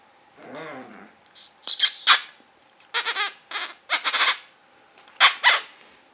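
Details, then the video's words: Carlos, a five-month-old pug puppy, barking indoors: a short whine, then bursts of high, squeaky yelps in irregular clusters, about four per second at their fastest, separated by brief silences. "baby pug Carlos barking"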